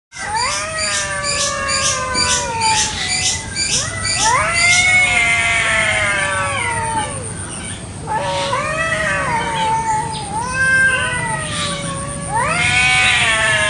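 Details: Village cats fighting over territory in a garden one morning, Indonesia: long wailing, rising and falling harmonic howls that overlap, with a run of short repeated yowls at the start and louder screaming swells later.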